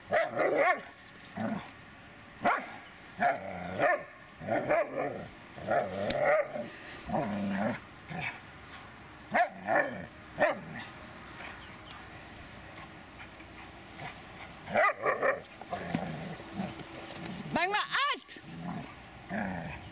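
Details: Dobermann Magmar Von Der Burgstätte barking: loud, sharp barks in irregular bursts, some in quick pairs or triplets with quiet gaps between, and a brief rising whistle-like sweep near the end.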